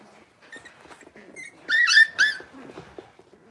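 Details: Blenheim Cavalier King Charles Spaniel puppies from a New Year's litter of five, settling into a larger pen. Soft rustling and faint squeaks lead to two or three quick, high, bright yips, then quiet shuffling.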